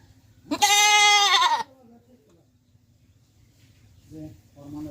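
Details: Goat in Pakistan giving one loud, trembling bleat about a second long, followed by faint background murmurs and soft low sounds.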